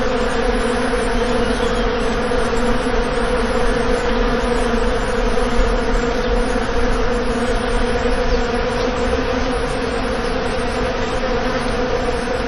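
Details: Loud, steady buzzing of bees, a constant droning hum with a strong low fundamental and no pauses across the whole stretch.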